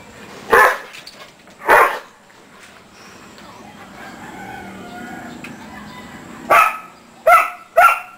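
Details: Pet dogs, three of them named Her, Maxx and Skike, bark in sharp bursts: two barks a second apart, a quiet pause with faint murmuring, then three quick barks in close succession.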